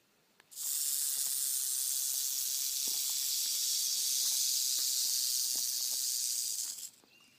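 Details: Wild timber rattlesnake found stretched across a road, rattling in warning after nearly being run over; a steady, high, hissing buzz holds unbroken for about six seconds, then stops abruptly.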